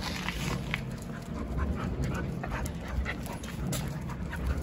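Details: Gaeul, a 74-day-old Jindo puppy living alongside its parents and older dogs, panting in quick, breathy, irregular puffs against a steady background hiss, with faint handling noise.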